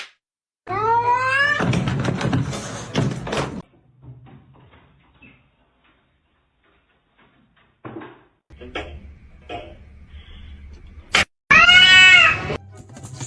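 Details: Pet cat meowing: a loud, drawn-out wavering meow over thumping and rustling, then near silence with faint knocks, then a second long, bending meow near the end.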